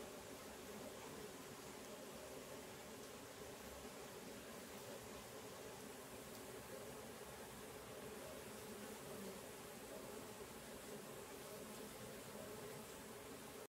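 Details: Stingless bees from several colonies kept in a meliponary, the swarms moving about; a steady, dense low hum with even banded tones holds throughout, with a faint hiss of background noise and no voices.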